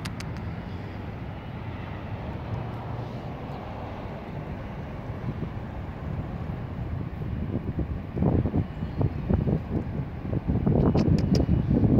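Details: Continuous low street rumble of passing vehicles, swelling louder toward the end with sharper bursts of engine and road noise, and no animal voice audible.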